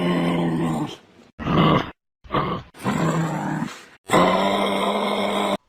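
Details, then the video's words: A kangaroo gives low, throaty grunts and growls in several harsh bursts; kangaroos make different sounds when afraid, when angrily stamping, and fierce sounds when two males fight. "கங்கார்களோட சத்தம் இந்த மாதிரிதான் இருக்கும்."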